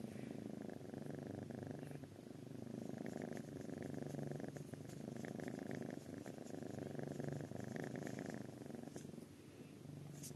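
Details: Kitten purring and snoring, a continuous low rumbling purr rising and falling with each breath, steady throughout with faint soft rustling.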